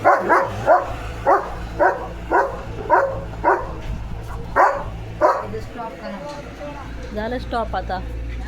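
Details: Pet German Shepherd named Leo delivering a run of about ten forceful, evenly spaced barks over a constant low hum, followed by a short stretch of high chirping and rapid sweeping calls.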